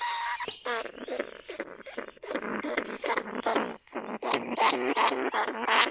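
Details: Lesser bandicoot rat caged in a trap at Na Lao, Nong Khu Phai, among rice paddies, calling to draw other rats out of burrows; harsh broadband squeaks and chattering bursts come in quick runs of about two or three per second, with brief pauses.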